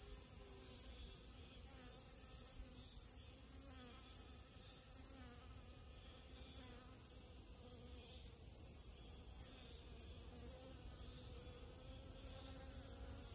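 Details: Honey bee among rose moss flowers, its low wavering wing buzz rising and falling as it moves, over a steady high-pitched insect drone that continues throughout.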